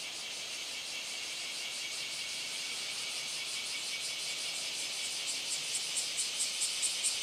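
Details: A male bear cicada sings a loud, hissing buzz breaking into quick, rhythmic pulses, recorded 17 July 2012 at the end of Japan's rainy season near a dragonfly, with a male bush warbler also audible.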